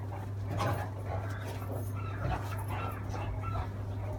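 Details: Scuffling Great Dane and Beagle give harsh, broken snarls and brief bark-like bursts in rapid succession, masked in part by a persistent deep droning hum.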